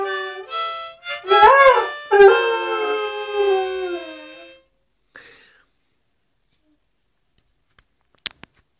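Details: Doberman singing along with harmonica music: a wavering, rising and falling howl that swells over a few seconds over steady harmonica tones. The howl then stops abruptly, leaving near silence with a few faint clicks.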